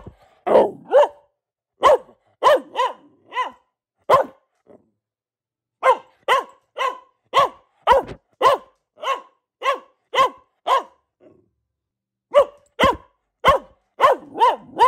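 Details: Luna, a female Boxer dog, barking in bursts of short sharp barks, several in quick succession, then pauses of a second or two before the next run; clean background with no other sounds.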